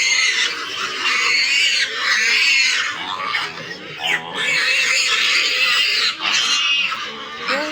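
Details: Domestic pigs at a backyard farm, a sow about to farrow alongside 25-day-old piglets: loud, high-pitched wavering squeals that rise and fall in overlapping bursts, briefly pausing near the middle, with a person talking underneath.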